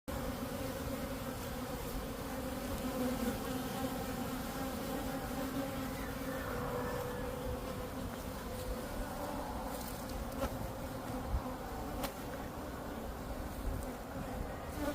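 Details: Honeybee drones flying out to mate and seek queens, Florida: a dense, steady buzzing hum of many bees, low and continuous throughout, with faint higher flight whines passing.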